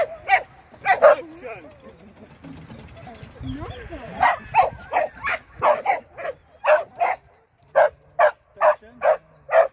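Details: Shetland Sheepdog being trained, 24 April 2023: after a few barks and a person talking, a steady series of sharp barks follows at roughly two per second.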